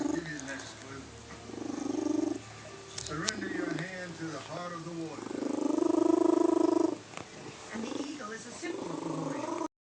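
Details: Aged house cat, petted and excited, producing its sneeze-like purr in strong pulsing bursts around the middle, while a man talks and exclaims over it throughout.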